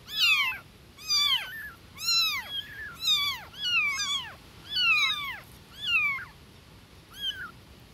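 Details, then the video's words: Newborn kittens calling loudly for mama cat with insistent bursts of high, bent mews, clusters of two or three voices roughly every second, strong and clear before fading near the end. "Newborn Baby Kittens Meowing Compilation"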